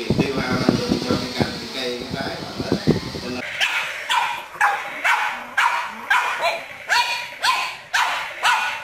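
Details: Pug barking in a fun compilation, with music and voices for the first few seconds, then a run of sharp, loud barks repeated about twice a second until the end.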